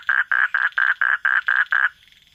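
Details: Frog calling at night: eight loud, even croaks in quick succession, each a short nasal burst, about four per second, then silence.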